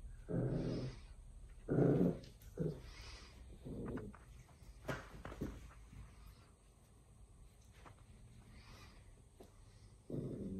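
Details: A corgi puppy playing with a new tennis ball on a rope gives short, low growling grunts and yips in scattered bursts.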